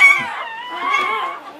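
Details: English Springer Spaniel named Latte giving birth to her seventh puppy of a litter of nine, 2013; a high, wavering whimper with bright harmonics sliding slowly downward over under two seconds.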